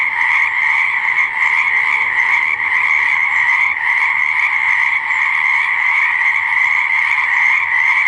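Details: Pond or swamp frogs croaking together in a thick, constant chorus; the shrill layered drone never breaks, and faint softer low tones drift beneath it.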